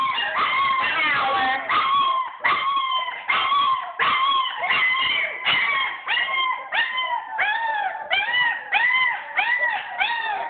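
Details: German Shepherd puppies, upset at being shut in their whelping bed while their room is cleaned, cry together in a dense chorus of high, arching whines and yelps, overlapping continuously with barely a pause.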